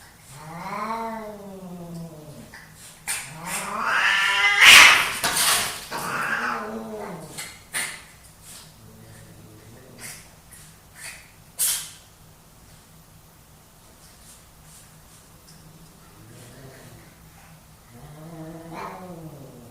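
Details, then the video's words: Two male domestic cats fighting for dominance: low, wavering harmonic yowls rise and fall for about two seconds, then a loud burst of harsh hissing and scuffling noise, with another drawn-out yowl at the end. "My cats fighting for dominance!"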